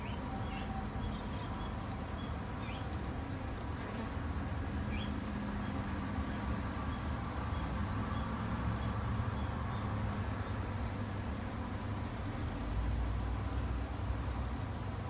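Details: Japanese honey bees kept in a garden hive by a beginner beekeeper for conservation, giving a steady, dense low hum that never pauses, with faint short high chirps repeating in the background.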